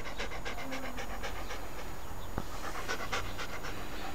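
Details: Rocky, a pet Siberian Husky described as playful and full of energy, panting in quick rhythmic breaths, a steady train of short bursts over low rumbling background, with a sharp click midway.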